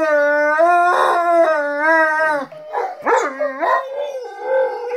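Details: Pet dogs howling in chorus while their humans howl along, several long sustained howls wavering in pitch overlap, then break into shorter bending yowls that dip and rise again.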